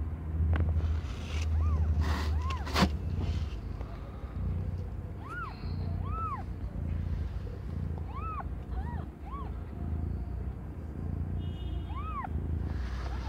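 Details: Domestic cat Aimee, under one year old, giving birth to five kittens of completely different colours; short, high, arched meows come in scattered bursts over a steady low hum, with a few clicks and knocks early on.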